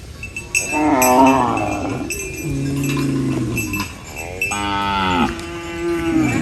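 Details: Cow munching banana leaves on a rural farm; a short moo, then a long low flat moo, then a loud rising-and-falling moo near the end, with faint clinks.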